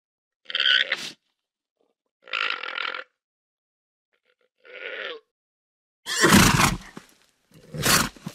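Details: Alpaca calling: three separate buzzy, nasal grunting calls about two seconds apart, each under a second long, followed by two louder, harsher broadband bursts near the end.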